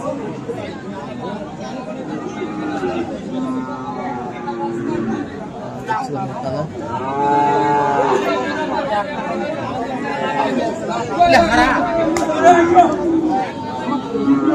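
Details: At Aftabganj market in Dinajpur, Friesian and crossbred bull calves call on 10 December; an arching moo rises and falls midway, followed by further shorter lowing calls, with people talking and crowd chatter throughout.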